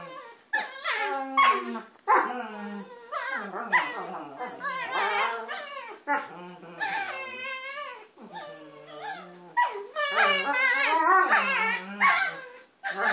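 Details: Pair of pet dogs vocalizing at each other during play, producing silly noises: a continuous stream of warbling whines, short yips and wavering howl-like moans that overlap and swap back and forth.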